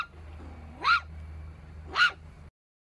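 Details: Puppy giving two short, high, rising-falling yelps about a second apart over a steady low hum.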